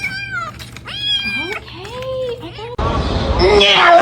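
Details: Cat during a fight, giving several short rising and falling meows and a low sliding cry, then a sudden burst of broad hissy noise fills the last second.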